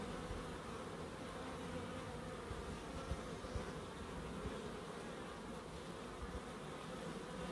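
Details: In a small garden in Crookes kept for wildlife, bees make an even, unbroken hum for several seconds, low and steady, with a couple of tiny clicks in the middle.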